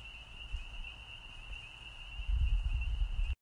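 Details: Spring peepers (Pseudacris crucifer) chorus on 29 March 2020, a steady, high, ringing shimmer over low wind rumble.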